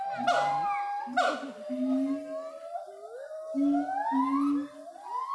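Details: Monkeys in the primate house at Ragunan zoo call in loud, sliding, pure-toned whoops that rise in pitch and overlap in a chorus, broken by lower steady hoots and sharp bursts.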